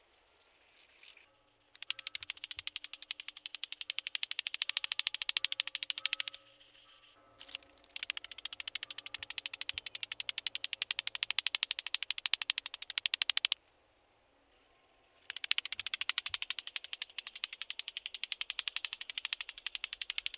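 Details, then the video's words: Psophus stridulus, the rattle grasshopper, recorded in Boltigen, Switzerland, 7 September 2023: three long bursts of rapid, crackling clicks lasting several seconds each, a harsh snarring rattle with brief pauses between. "Psophus stridulus -- Rotflügelige Schnarrschrecke -- Rattle Grasshopper"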